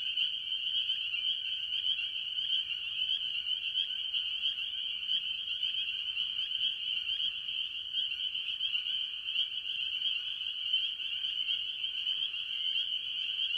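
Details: Early-year chorus of tree frogs, mostly spring peepers, at a farm pond: many overlapping high-pitched peeps merge into an unbroken shrill wall of sound, steady in loudness throughout, with a quiet background.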